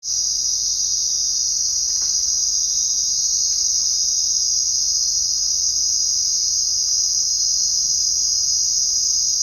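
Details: Crickets chirping at night in a steady, high-pitched, shimmering trill that carries on without a break.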